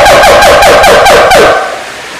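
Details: Siamang giving a loud, rapid series of about six pulsed, wavering calls in quick succession, then fading out at the end.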